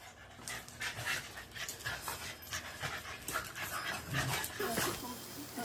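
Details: Shiba Inu panting in a mandarin orchard where a hibashi wind chime has been hung; quick breathy bursts repeat about twice per second alongside soft human speech.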